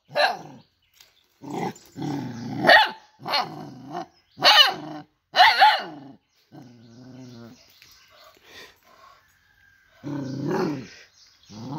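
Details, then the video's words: Dog giving a run of loud, harsh barks and growly yelps in quick bursts, some with a rising and falling whine, with short pauses and a quieter low rumbling growl near the middle and end. "Cute and Funny Dog Sounds"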